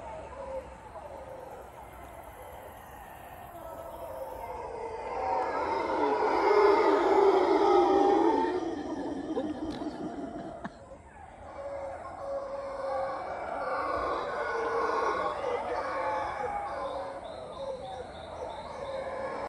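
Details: Howler monkeys roaring in a broad, rough chorus that swells to a loud peak around seven seconds, drops off near ten seconds, then builds again into a sustained, slightly softer roar toward the end.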